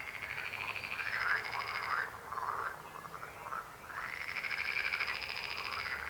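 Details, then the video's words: Croaking frogs, several voices overlapping in rolling, pulsed trills that swell and fade in long waves, with a steady background of chorus sound throughout. "Rechot żab. Croaking frog sound."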